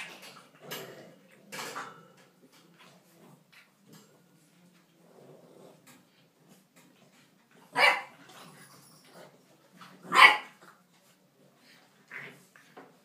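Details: English bulldog puppies playing indoors: low rough growly noises and scuffles, then two loud, strong barks a couple of seconds apart, followed by a softer, fainter bark.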